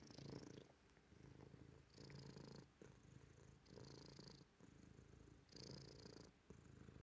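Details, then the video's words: Granite-loving house cat purring loudly in a quiet room: deep, steady rumble pulsing on inhale and exhale, roughly one cycle every two seconds, each phase carrying a soft airy hiss. "Granite loving cat, purring loudly"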